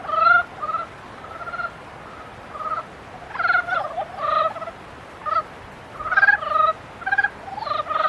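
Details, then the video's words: A mating-season frog chorus: buzzy, pulsed croaks in clusters. A loud burst opens, then uneven runs of overlapping calls from more than one frog. "개구리 짝짓기"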